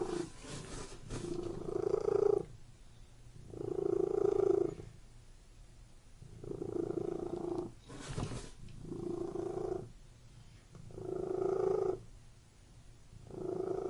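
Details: Domestic cat purring indoors in a room: a low, steady rumbling purr that swells and fades in cycles of about two seconds, with short quieter gaps between each breath and a few soft rustles.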